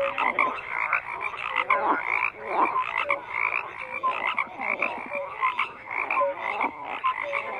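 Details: Many frogs croak together, raspy bursts overlapping in quick succession with occasional short pure tones rising above the rattle.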